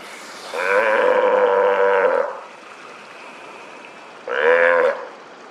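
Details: Steller sea lions passing the morning after a day of very rough, stormy seas, 26 November 2023; one gives a long, harsh, moaning roar, then a shorter second bellow; Steller sea lion.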